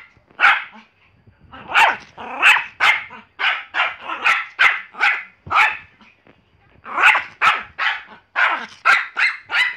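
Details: Pomeranian. A Pomeranian gives a run of shrill, snappy barks, each yap short and bright. The barks come in rapid clusters, broken by a short pause midway before the dog starts up again.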